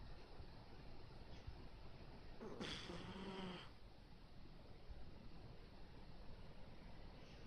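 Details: A Miniature Dachshund sleeping, worn out after playing too hard, gives one brief, whiny, tonal murmur of sleep talk lasting about a second. A steady low hiss fills the rest of the recording.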